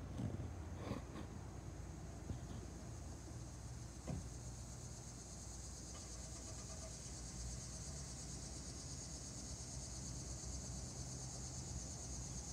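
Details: Linne's cicada (Neotibicen linnei) calling on 26 August 2017: a continuous high, hissing buzz that swells in strength through the clip, set against a heavy low rumble of passing vehicles and a few knocks early on.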